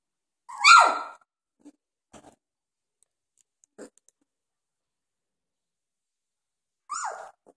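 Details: Doberman puppies, 2.5 weeks old, playing; one loud sharp yelp falling in pitch, faint small shuffles, then a second shorter squeal after a long pause.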